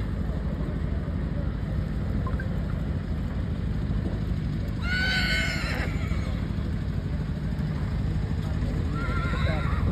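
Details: Horse at a 2024 fair, where fillies compete in a show ring. A single high, harmonic whinny arrives around the middle and falls away. A steady crowd murmur and a public-address voice run underneath throughout.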